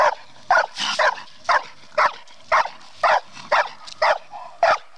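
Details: Bluetick coonhound working a raccoon during training, with loud, clipped barks spaced about half a second apart, fairly even, with faint rustling between them.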